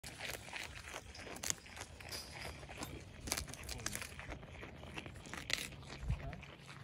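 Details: A goat chews a homegrown broccoli leaf, with crisp crunching and tearing bites in an irregular rhythm.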